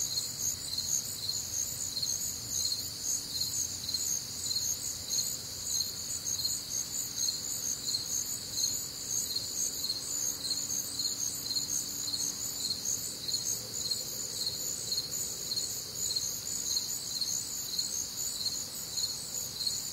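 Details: Crickets sing through a warm, humid Midwestern summer night, a constant shrill chorus of layered high bands beating in quick regular pulses, with a faint low hum and distant night ambience.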